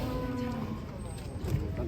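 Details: Cattle being unloaded from a truck: a steady, flat, tonal moo lasts under a second, then fades into voices of people nearby talking about the animals' age.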